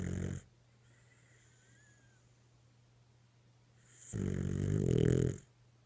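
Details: A sleeping dog snoring: one breath cut short at the start, then after a quiet pause a long, low, rumbling snore lasting over a second, with a steady low hum underneath.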